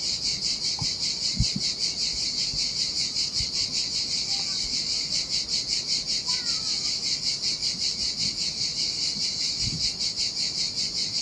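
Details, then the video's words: Cicadas sing in summer heat beside the turquoise Sardinian sea on an empty beach, a steady high pulsing buzz, with a few faint thin bird notes and soft splashes scattered below. "Ocean Waves & Cicada Sounds - The Most Relaxing Waves Ever - Cicadas by the Sea"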